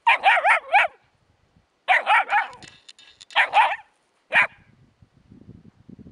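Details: Shrill puppy barks come in tight runs of three or four, repeated every second or so, aimed at a hedgehog; faint rustling follows the last yap.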